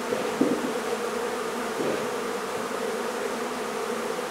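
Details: Honey bees in a hive being removed from a barn in La Feria, Texas, during a safe relocation: a dense, steady droning hum from many bees, with a brief knock early on.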